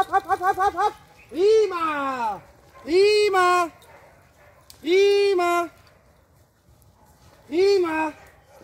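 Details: Eight-month-old Presa Canario puppy Clara, a working security dog in training with AVD e.V., gives loud, deep, rounded barks in short bursts of one to two, spaced a second or more apart, after a brief run of quick yaps.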